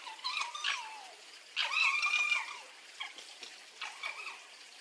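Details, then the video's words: Fox giving harmonic whining calls: a falling whine early on, a louder, rougher drawn-out burst around the middle, then softer short whines, with scattered clicking and rustling sounds throughout. "Verso della volpe"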